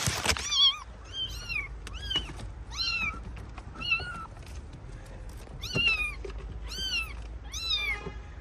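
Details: Abandoned stray kitten, rescued after two days freezing in the snow at -11°C, meowing over and over: high, arched, slightly wavering cries, about ten in eight seconds, each rising then falling, with faint handling thumps behind.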